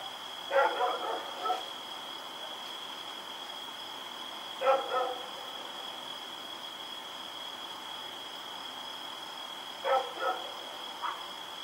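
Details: Barking from Rex, a dog running about in the night on October 7, 2018: short bursts of two or three barks separated by several seconds of quiet, with a constant high-pitched hum behind.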